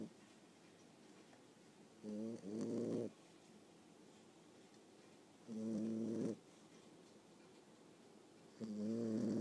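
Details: Young Boxer puppy, around 9.5 weeks, snoring contentedly in her sleep with the microphone near her face: three loud, raspy, harmonic snores about three seconds apart, separated by calm silence.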